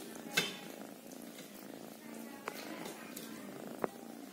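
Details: Soft continuous purr from a kitten, low and even, broken by three short clicks or taps spaced across the recording.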